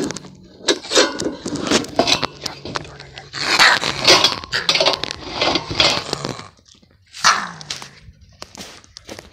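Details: Gray fox by a lake with an odd, broken-sounding voice, giving harsh, noisy, crackling cries in irregular bursts, dense through the middle and separated by short pauses.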